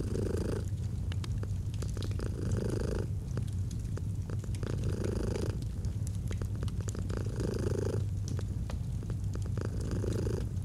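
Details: Low rumbling purr of a domestic cat that pulses in slow breath cycles about every two to three seconds, with fireplace crackling sprinkled over it.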